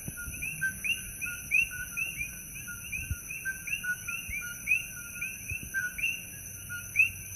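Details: At night at Holualoa on Hawaii's Kona Coast, many coqui frogs call over one another, each a sharp two-part "co-kee" with the second note sweeping upward, over continuous high-pitched insect hums.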